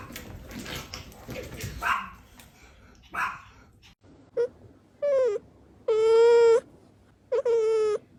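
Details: Domestic cat in a fight between two cats, a white cat involved; after a noisy start, a short tonal yowl and then three longer harmonic wailing yowls, each about half a second, dropping at the end.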